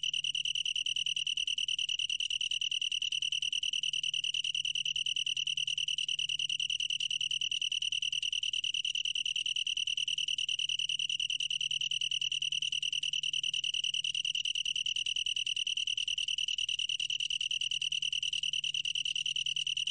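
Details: Long-tailed tree cricket song, National Institute of Biological Resources, 2020: one continuous ringing trill, high and clear, pulsing very quickly and evenly for twenty seconds without pause, over a soft low background hum.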